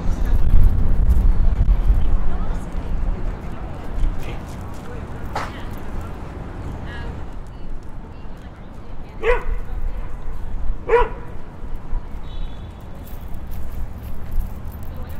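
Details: Dog at Clarence Square Dog Park in Toronto on Sunday afternoon, April 23, 2017, 2:09pm, recorded in stereo on a Zoom H5: a few sharp barks spaced seconds apart amid people talking and low city rumble.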